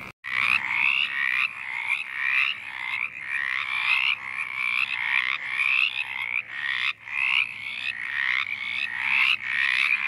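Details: In Virginia woods, where the species is sought in small water-holding spots, a dense chorus of Mountain chorus frogs (Pseudacris brachyphona) gives raspy, rising trills repeated about every second.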